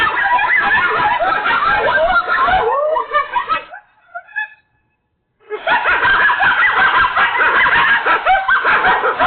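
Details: Coyotes freaking out in a pack chorus of shrill, wavering yips and warbled howls, thinning into a few scattered calls, a brief silence, then the whole group erupting again loudly.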